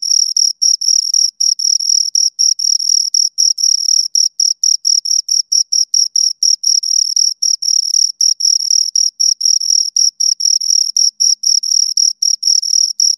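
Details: Two crickets stridulating nearby: shrill, high-pitched pulses packed into quick regular bursts, repeated continuously, with clean silence behind them.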